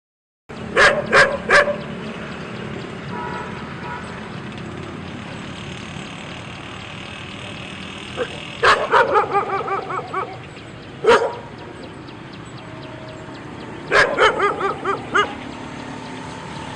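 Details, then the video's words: Dog barking loudly in short bursts of two to four sharp, harsh barks separated by pauses of several seconds, over a steady background hiss. "Dog barking Loud and Howling"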